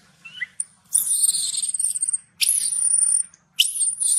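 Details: Baby macaque shouting loudly in anger after its mother refused to give it milk; shrill, high screams in three long bursts, each held steady for about a second with brief gaps between, plus a short squeak at the start.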